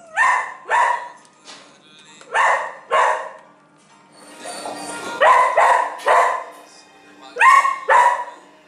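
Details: A frightened two-year-old female Siberian Husky in an animal shelter gives short, tonal, yelping barks in quick pairs, repeated every couple of seconds.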